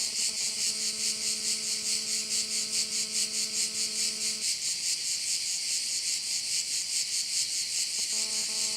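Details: High, insistent cricket chorus at a bay in Korčula, Croatia, throbbing a little more than twice a second; a low engine-like hum runs for the first half, stops, then returns near the end.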